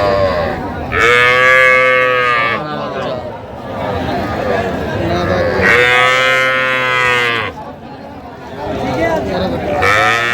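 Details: Small cattle calves, bull and heifer calves, at a market where Dhaka farmers buy them, Bangladesh, 3 August 2025. Two long, loud, harmonic moos about four seconds apart, each holding steady before dropping off, with a third starting at the end. Men's voices in between.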